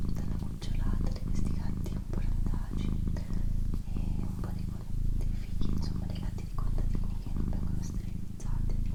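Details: Pet she-cat purring steadily for several seconds, a low rumbling drone broken by brief dips roughly every half second to second, while a person whispers softly and faint crackles and clicks sound nearby.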